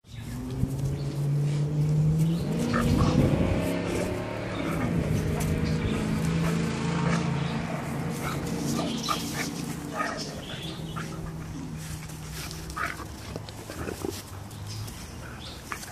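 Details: Two Great Danes, one 2 years old and one a 10-week-old puppy, play in a garden with deep, booming barks and rumbling growls in quick bursts.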